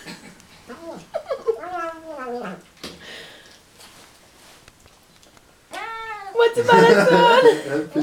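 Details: Male Siamese cat talking with his mouth full during a meal. Several wavering, harmonic calls run together early on, followed by a loud, rough, noisy stretch near the end.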